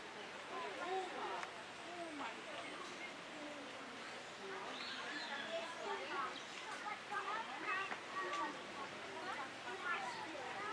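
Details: A group of common squirrel monkeys (Saimiri sciureus) at Opole Zoo keeps up a steady chatter of short, high chirps and squeaky twitters, many voices overlapping over a soft background hiss.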